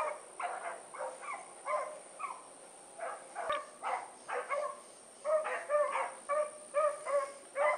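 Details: Four dogs of the Blackreek pack, Choco, Dino, Johnny Ringo and Mingo, let go for an evening run on 8-16-2014; rapid irregular barks from several animals come and go, growing stronger later, with a sharp click and steady high whine.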